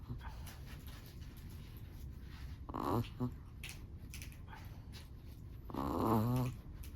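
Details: Chihuahua asleep and snoring. A brief wheezy snore with a little click comes first, then after a quiet stretch a longer squeaky, whistling snore, over low background hum.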